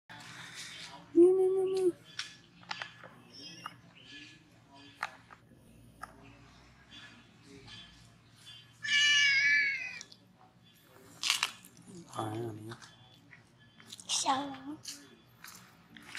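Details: An old ginger cat living outdoors among street cats gives a drawn-out meow early on, then further meows and a wavering cry mixed with people talking in Spanish and music.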